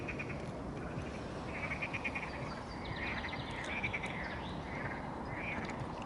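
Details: Frogs start singing at dusk-time calm on the Ilek river near Aktobe on 27 May, croaking in a chorus of rapid, rattling pulsed bursts over a steady rush of background noise.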